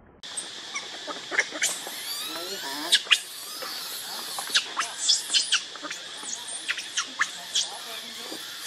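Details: Baby monkey Leo, also called Rainbow, begging its mother for milk while hungry. Rapid, high-pitched squealing cries with short rising and falling sweeps, packed closely and repeated irregularly over a steady high background hiss.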